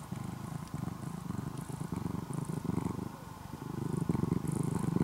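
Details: Former stray orange-and-white kitten becoming a house cat in Japan purrs like an engine; a steady low pulsing rumble in breath-length swells, growing louder near the end, faint high hiss.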